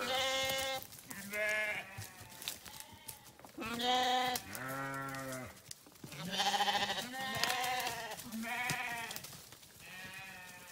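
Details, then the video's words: Several sheep bleating almost continuously, overlapping calls of different pitches, some deep and throaty, others higher and quavering, each lasting under a second to about a second. "Sheep Videos 🐏 Sheep Sounds"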